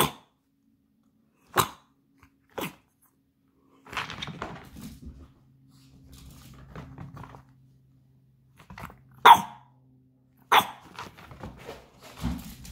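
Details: Chihuahua at its toy box barks in short, sharp, separate yaps spread across the recording, with a low, rumbling growl-like stretch in the middle and quieter shuffling between barks.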